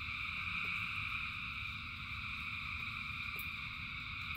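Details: Thousands of frogs singing in rain: a dense, unbroken chorus of steady high trilling bands with no single caller standing out, over a low rumbling wash and occasional faint clicks.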